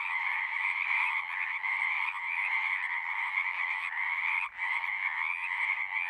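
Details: Numerous frogs singing together, a thick buzzing-trilled chorus in high and middle bands that swells slightly, then briefly drops out just after four seconds before resuming at full strength.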